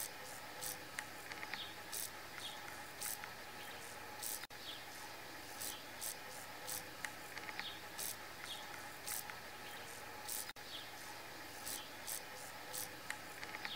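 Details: Forest grasshopper calling with dry, raspy bursts of high buzzing, bunched and repeated irregularly across the recording, set against a constant insect hum and faint steady tones.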